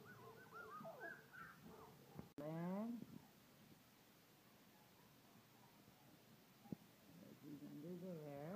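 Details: Collie puppies three weeks old, from Cassie and Red's litter, in a living room: several short whimpers, then a loud sliding whine after a sharp knock, quiet, then more wavering squeals near the end; faint speech.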